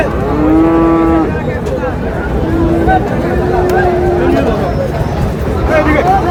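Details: Friesian and cross-breed bull calves at Raniganj market in Dinajpur on 26 July: a low, steady moo of about a second, then two shorter, flatter lows, over constant market chatter and bargaining voices.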